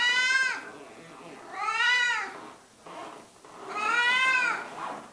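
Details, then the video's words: Cat called Mickey Mouse, tucked under a cover and meowing repeatedly: three loud, arching meows with bright harmonics, the first cut short at the start, plus a faint softer sound between them indoors. "The Meowing Lump"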